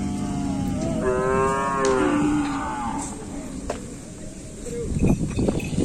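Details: Racing cattle training for a kerapan sapi bull race at Asemanis, Pamekasan; a drawn-out moo lasting over a second that slides slightly downward, followed by clatter and people talking nearby.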